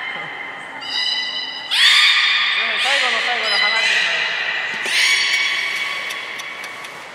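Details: Beluga whales in a morning aquarium pool at Port of Nagoya Public Aquarium, 26 January 2020, give bright, squeaky whistles and rich nasal tones with quick upward chirps.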